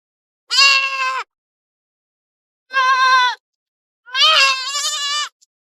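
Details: Three strident goat bleats about a second apart, the first two even and steady, the last longer and quavering, with silence between calls.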